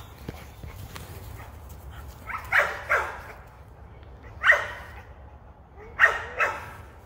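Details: American Pit Bull Terrier hunting rabbits, sounding a few separate yelping barks, paired doublets about every one and a half seconds, against quiet outdoor background noise.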